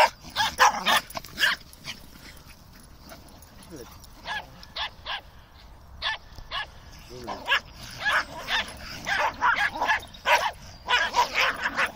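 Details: Several terriers, including a Fox Terrier, Maltese and Dachshund, running about, nipping and playing; sharp high barks and yips come in bursts, a busy cluster at the start and another near the end, with growly shouting between.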